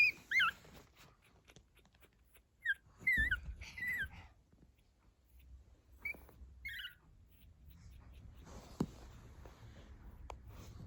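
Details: Fourteen-day-old pug puppies that have just started walking give thin, high squeaking whimpers in short, irregular bursts, small noises their mother recognises as her young.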